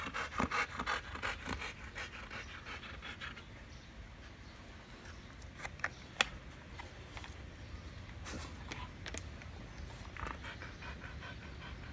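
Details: Siberian huskies during treat-stick time, with Barry guarding his treat from Candy, Cookie and Happy. Quick, soft, breathy panting pulses in a small indoor space, louder in the first two seconds, with a few sharp clicks and scrapes.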